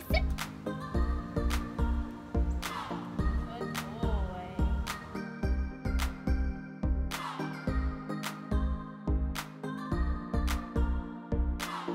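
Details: Rhythmic pop-style music with a steady beat and sung phrases throughout; no animal sounds.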